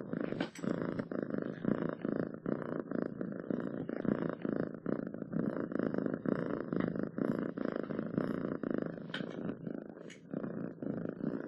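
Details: Domestic cat purring steadily, a low rumbling pulse in rapid even cycles throughout, with faint brief clicks near the end.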